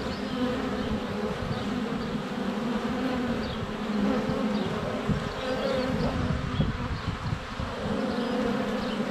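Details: Constant humming of flying honey bees right at the hive entrance, recorded on a sunny February day with a GoPro less than a foot from the hive; faint chirping birds sound in the background.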